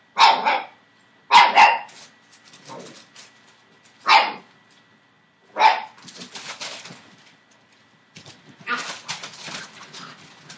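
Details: Entlebucher Mountain Dog puppies, seven weeks old, from a litter born 28 December 2013, giving five loud, abrupt barks in the first six seconds, then scuffling and rustling noises as the pups move about.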